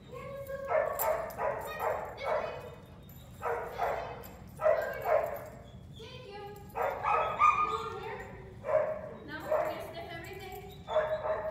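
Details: Boxer dog barking repeatedly in short bursts, some barks in quick pairs, mixed with human voices.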